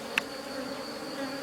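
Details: Honey bees of a drone-laying colony being rescued hum steadily, broken by one sharp click just after the start.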